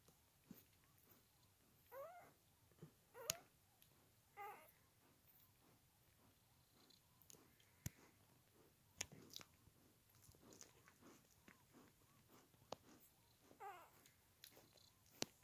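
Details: Newborn Doberman puppies, twelve hours old, indoors, making faint high squeaky whimpers in short scattered bursts, with soft clicking and rustling between them.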